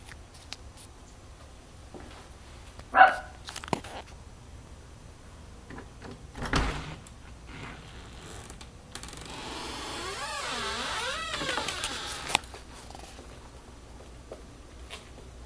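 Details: Sugar, a pet dog indoors who barks when someone is at the door before turning happy on recognizing them: a single sharp bark early on, a dull thump later, then a wavering, rising-and-falling high whine.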